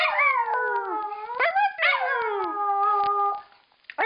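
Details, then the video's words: A female dog howls, a pet known to echo a howled "I love you"; two long sliding howls, the first dipping then rising, the second held steady before fading out. "Dog Howling"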